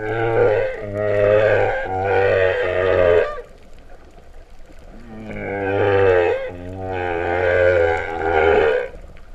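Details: Humpback whale song underwater off Vava'u, Tonga, September 2015, described as moo-like: two long pulsed, harmonic-rich moaning phrases with a low steady tone beneath, divided by a quieter stretch of sea noise.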